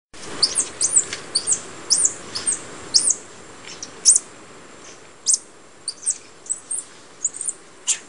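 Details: White-faced capuchins in Costa Rica: scattered very high, thin squeaky chirps and short sliding whistles, irregularly spaced over a steady background hiss.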